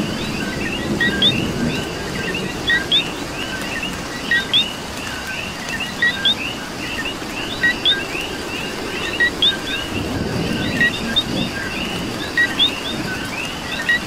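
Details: Coqui frogs in rain in Puerto Rico, the loudest one repeating its low-then-rising whistled pair of notes regularly over a packed chorus of overlapping chirps, with continuous rain hiss and soft low rumbling.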